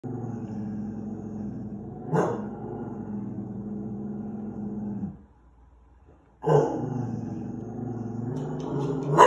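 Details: A dog gives a long, low, rumbling growl that sounds like a lawn mower, pausing briefly before resuming.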